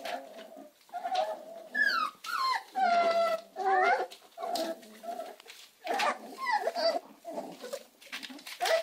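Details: American Staffordshire Terrier puppies whimpering and whining: short high-pitched cries, some sliding downward, others wavering, repeated irregularly about every second, several voices overlapping with brief gaps between bursts.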